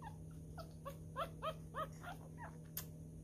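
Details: Newborn male miniature schnauzer puppy, a messy eater, being fed: a run of short, high squeaks, each arching up then down, about eight in quick uneven succession, over a steady low electrical hum.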